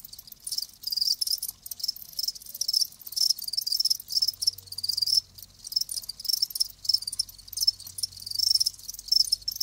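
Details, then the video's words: Live crickets chirping in a continuous chorus, high pulsed trills packed densely and overlapping, with no other sounds standing out. "Live Crickets 60min "Natural Sound""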